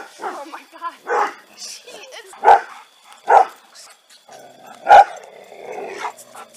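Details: Dogs confronting a person dressed as Bigfoot: three sharp, loud barks spaced about a second apart, with excited human voices talking between and around them.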